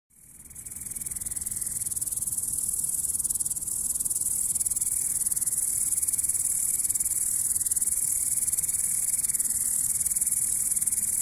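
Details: Grasshopper stridulating, a steady, dense, high-pitched buzzing chirp sustained without a break, with a faint thin tone wavering just below it throughout.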